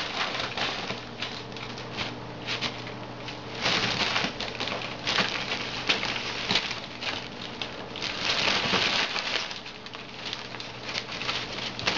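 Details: Indoors, crackling, crinkling and pattering noises come in bursts over a steady low hum, with no animal voice heard.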